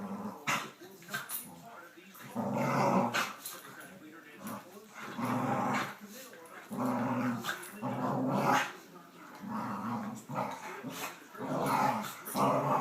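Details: Indoors, a nine-month-old Cavalier King Charles Spaniel called Teddy, being coaxed onto a bed, grumbles in a series of low, throaty growls, each a second or so long and repeated irregularly, with a person talking in between.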